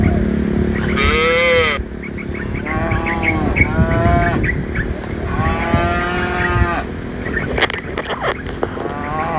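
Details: Dozens of tame cows being herded from the forest to the pen; several overlapping moos, some high and wavering, one deep and drawn out, with chirping birds, rustling and a few sharp clicks.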